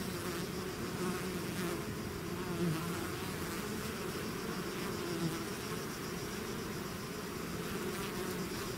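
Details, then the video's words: Swarming bees out of the hive produce a steady, dense buzzing drone, low-pitched and continuous, with faint higher wingbeat whines flickering over it. "bees therapy swarm natural buzzing sound"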